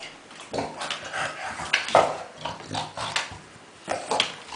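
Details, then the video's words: Kuba, a dog playing among tennis balls, makes short snorting grunts in broken bursts, rough and noisy like a pig, separated by brief quiet gaps; indoors. "Kuba in heaven of tennis balls making funny sounds"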